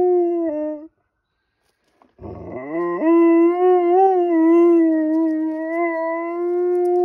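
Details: Domestic dog, a female, wailing wolf-style at a fire truck: a brief howl ending with a slight drop, a pause, then a rising onset into a long, steady, gently wavering howl.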